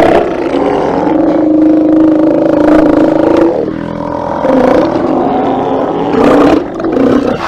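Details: Steller sea lions at a haulout on 24 September 2018, live cam: a dense, sustained roaring drone from many animals, with one long tonal bellow giving way to overlapping harsh calls.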